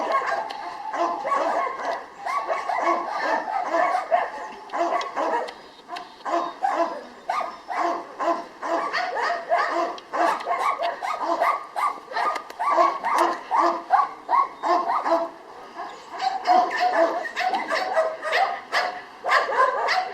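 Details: Jania, a female Labrador Retriever at the Kundelek animal shelter in Rzeszów, Poland, barks and yips in a rapid, uneven stream of short bursts, about two or three a second, while a person calls to her in Polish.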